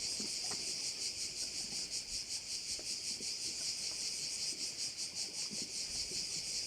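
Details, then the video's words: Crickets at a bay in Korčula, Croatia: a dense, shrill high buzzing that pulses steadily about two to three times per second, with faint scattered low rustles underneath. "View of one of the bays in Korcula with sounds of crickets"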